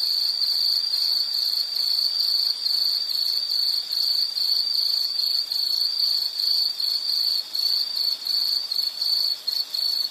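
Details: An insect's high, ringing chirps repeat in a fast, even pulse, steady in loudness, with a thin upper buzz and nothing else standing out.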